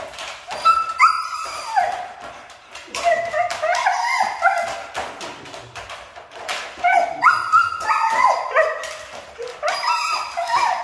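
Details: A hard-to-train Siberian Husky voicing insistent whines and moaning yowls, pitch sliding up and down in rapid uneven bursts, with brief pauses between phrases and no other clear sounds.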